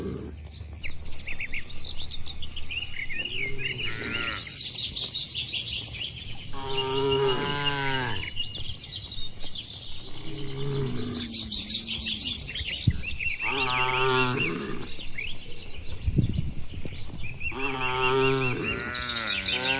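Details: Sapi lembu, tame cattle roaming loose on green pasture under a herder's watch, low rumbling moos that rise and fall, several spaced a few seconds apart, with busy high bird chatter and twitters above them.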